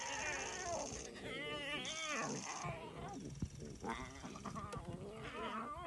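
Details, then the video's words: Lion cubs feeding give harsh, wavering mews and growly squeals in quick, overlapping bursts. "LION CUBS MAKING WEIRD NOISES WHILE FEEDING"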